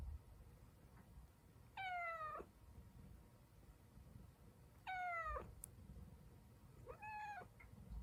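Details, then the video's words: Siamese cat fussing because it does not want its owner to go to work: three drawn-out, strongly harmonic meows of about half a second each, dropping away at the end and spaced a few seconds apart, over a low steady hum. "집사 출근하지 말라고 떼쓰는 샴고양이"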